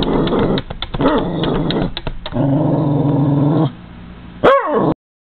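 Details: A Cairn Terrier goes after seagulls and crows feeding on the other side of a window, growling low and rumbling, then letting out one sharp, high bark.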